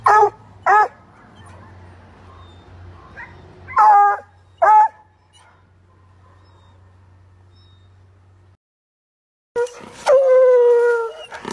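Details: Treeing Walker Coonhound, a pet dog kept about four months, barking loudly: two sharp barks at the start and two more near four seconds, then a quiet gap and a long, drawn-out, harmonic bay near the end.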